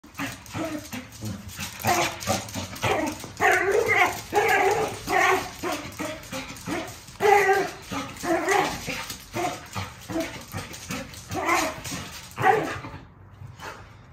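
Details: Irish Terrier, a lively pet dog, giving a long run of short harmonic barks and yips in quick irregular bursts, some sharper and louder, with a brief quiet gap near the end indoors.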